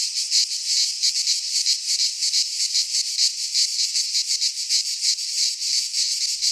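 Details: A wall of cicada song in a pine forest in Greece during midsummer, a bright metallic hiss rising and falling in steady pulses about three times a second, with no other sounds.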